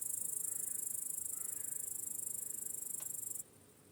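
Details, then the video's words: Crickets chirping in a peaceful meadow at sunset in the evening countryside: a dense, shrill high trill pulsing about four times a second, continuous until it cuts off abruptly just before the end. "Crickets Chirping in a Peaceful Meadow"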